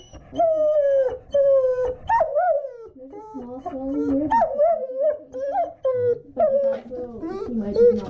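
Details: German Shepherd dog, apparently Krypto, crying in fear on realising he is going to the vet: long drawn-out tonal whines and howl-like wails, sliding up and down in pitch, in several overlapping bursts with short breaks between them.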